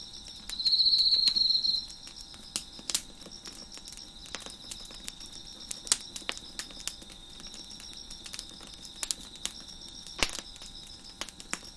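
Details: Crickets beside a crackling fire on a deck give one loud high buzzy trill near the start. A faint continuous high insect chorus and frequent snapping pops of burning wood follow.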